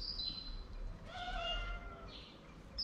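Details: One of two ginger cats that live together and are always side by side, meowing once with a drawn-out, slightly falling tone in the middle of the moment, with faint high chirps before and after in a quiet room.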